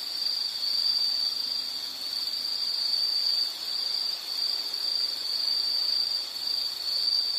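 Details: Steady high-pitched insect trill for a soothing nature soundscape, a continuous shrill drone with slow rises and dips in loudness and no other clear sounds.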